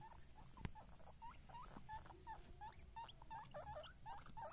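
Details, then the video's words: Baby guinea pigs giving a run of short, quiet squeaks, each a brief note with a small upward flick, repeated about three times a second over a soft rustling background, with one sharp tap early on. "guinea pig babies"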